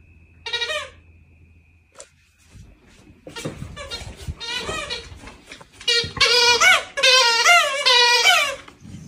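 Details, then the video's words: Female dog gently asking for scratches, lifting her paws. A short whine comes first, then a burst of high, wavering, squeaky whines that rise and fall near the end. The room is otherwise quiet. "Dog ask gently for scratches"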